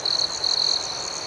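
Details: A cricket at night gives quick, high, sharply pulsed trill bursts, two in close succession, set against a constant shrill background chorus of other crickets.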